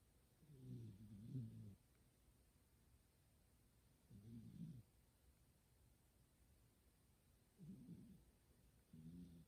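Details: Domestic cat Kuma-tan dozing deeply beside someone playing a game, snoring like a person; low, rough, wavering snores lasting about a second, repeated every three seconds or so, otherwise quiet.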